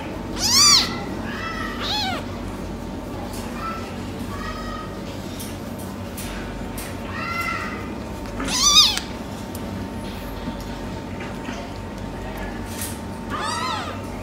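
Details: Meowing silver tabby American Shorthair kittens, brothers: a sharp high meow at the start, a loud one midway and a softer one near the end, with several faint, short mews between and a low steady hum.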